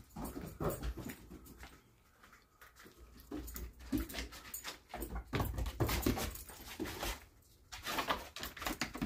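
A Treeing Walker Coonhound gives short, irregular barks and whimpering yips indoors.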